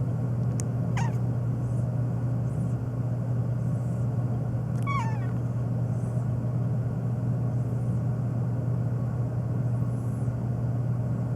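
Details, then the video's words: Phoebe the black cat on a long rant, meowing nonstop and especially at sneezing: two short descending meows about four seconds apart, a faint click before the first, all over a continuous low rumble. "My Black Cat Meowing Nonstop, especially to sneezing"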